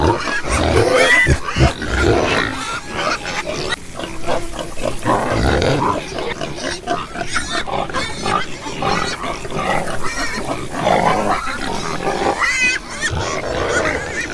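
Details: Pigs grunting and snorting together. Rough, throaty grunts mix with occasional squeals in a busy, uneven stream of noise.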